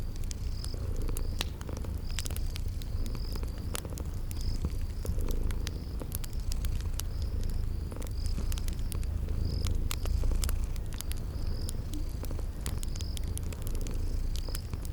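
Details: Deep, even purring of sleeping kitties fills the whole stretch, accompanied by a crackling fireplace's scattered pops and frequent short high-pitched chirps in a spring garden setting.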